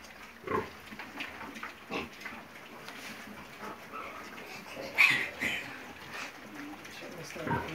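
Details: Piglets indoors giving short, rough grunts at about half a second, two seconds and five seconds, with a higher squeaky note near five seconds over a steady background hiss and some voices.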